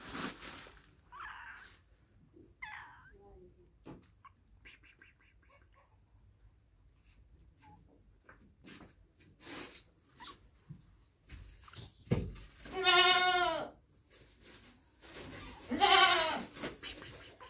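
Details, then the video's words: Domestic cats and kittens meowing, from a compilation of funny pets: a few faint short meows early on, then two loud, drawn-out, rising-and-falling harmonic meows near the end, with scattered clicks and knocks between them. "Funny Cats and Kitten Meowing 2021"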